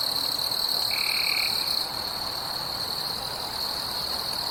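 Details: In a forest at night, a steady, high-pitched insect drone hums without pause, with a brief lower whistle near the start.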